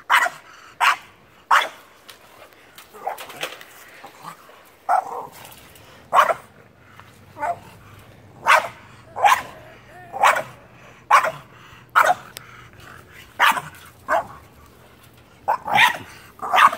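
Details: French Bulldog chasing a squirrel, giving a long run of short, sharp barks roughly every half second to a second for about seventeen seconds, while a person talks and cheers him on, with a low hum behind.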